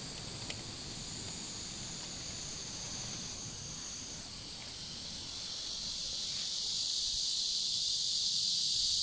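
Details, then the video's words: Riverside cicadas in warm summer, 23 July 2015: a high droning buzz that shifts pitch midway, then swells louder and brighter over the final seconds, above a soft low background rustle. "Las cigarras cantando junto al río en cálido verano"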